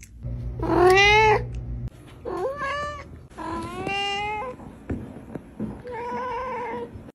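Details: Domestic cat giving a series of meows, the first loudest and bending downward, later ones softer and more nasal, with low background hum and some room noise.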